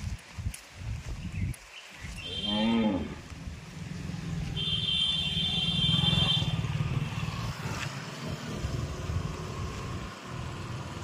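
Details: Punganur cattle, a small breed one to two and a half feet tall, cows and bulls led by handlers; one short arched moo at about two seconds, followed by a long low droning hum with a steady high tone and background voices.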